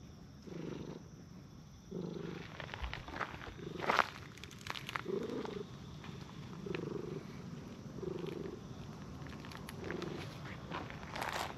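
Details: Brown tabby and tortoiseshell stray cats on a park bench, petted one after another, purring in repeated low rumbling pulses at a steady breathing rhythm, mixed with clicks and rustling of handling.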